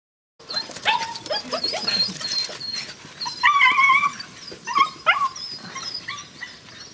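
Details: Eleven White Swiss Shepherd puppies, almost nine weeks old, from a breeding kennel's A litter, let outside in the morning; high, rising and falling whimpers and short yelps overlap in quick bursts, with music and a human voice calling them.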